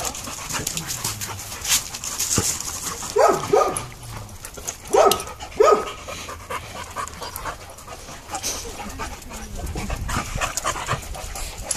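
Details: Several pet dogs playing together indoors, one pair wrestling while two others, a schnauzer and a dachshund, join in; a few short, sharp yelping barks come in two quick bursts midway, with panting, scuffling and background noise around them.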